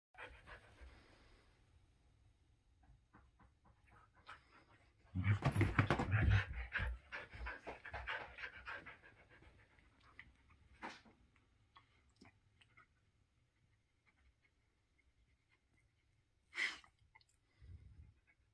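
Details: Shetland Sheepdog in a wild, rampaging mood: low rapid panting with a loud burst of scuffling and huffing around five seconds, then quieter breaths and a brief sharp noise near the end.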